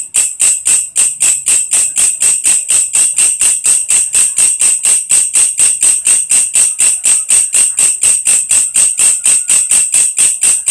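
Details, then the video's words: Grasshopper known locally as belalang kecek, krek-krek or kerik, used as a tutor sound for lovebirds: rapid, very regular high metallic rasping pulses, about four per second, steady throughout with no other sounds. "SUARA BELALANG KECEK / WALANG KERIK MASTERAN BURUNG"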